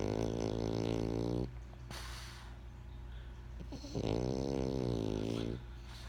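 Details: French Bulldog named Benjamin snoring while asleep: two long, droning, vibrating snores about four seconds apart, each roughly one and a half seconds, with quiet breathing between them.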